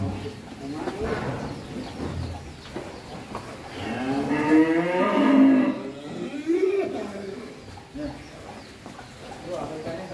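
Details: Agitated horned bull, about one ton, being led from its pen for the first time, utters a long, strained, wavering moo at mid-clip among low grunts and men talking nearby.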